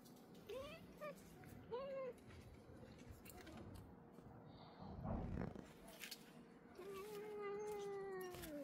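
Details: An angry domestic cat at home in Ljubljana on 4 July 2024 hisses and bristles. It gives two short, arched wailing mews, a brief noisy hiss, then a long, drawn-out moaning yowl.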